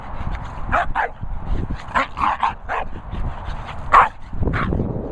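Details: Two Staffordshire Bull Terriers barking: a handful of short, gruff barks in loose bursts, some paired, with a louder single bark near the end and low background rumble between them.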